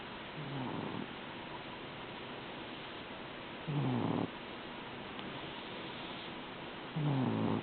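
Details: A sleeping pet cat, a habitual snorer blind in its right eye, snores in low raspy rumbling breaths, each lasting about half a second and recurring roughly every three seconds over a steady hiss.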